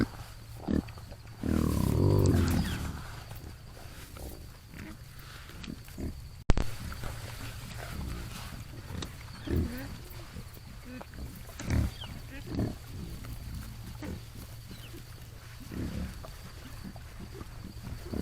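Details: Feral hogs heard in the morning, opening with one loud, rough, drawn-out roaring grunt, then scattered quieter, deep grunts spaced unevenly over a faint hiss.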